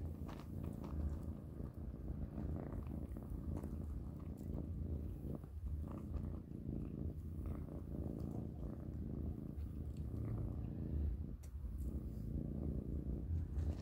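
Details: Kittens purring while eating plenty of dry cat food for dinner: a continuous deep, throbbing purr across the whole stretch, with scattered soft crunching clicks of chewing and no other sounds.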